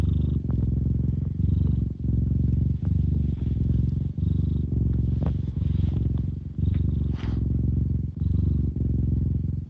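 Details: Continuous low purr from a cat, rich bass pulsing steadily, with brief dips between breaths every second or so and a few faint clicks or rustles in the background.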